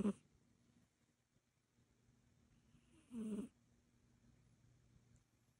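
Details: Egyptian Mau cat asleep, giving one clear raspy snoring breath midway through, preceded by a brief faint snuffle at the start, with near silence otherwise.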